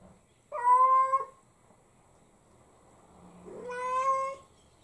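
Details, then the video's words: Ame, a pet cat, cries in a baby-like voice, upset because her mother is away, indoors: two drawn-out meows, the first steady and clear, the second rising then fading, separated by about two seconds of quiet. "母ちゃん大好きが度を越した猫が… 赤ちゃん声で泣きながら八つ当たり！ - Cat couldn't find Mom, went nuts"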